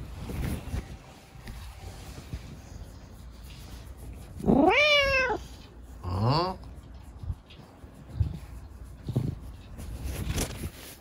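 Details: Chico, a rescued pet kitten left lame by an accident, meows at bedtime while being scratched by dad: one long high meow, then a second shorter one sliding upward, with quiet room noise between.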